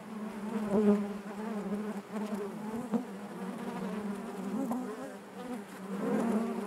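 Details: Honey bees humming inside their hive, a dense steady drone with a strong low tone and layered overtones, swelling and easing in loudness over a few seconds.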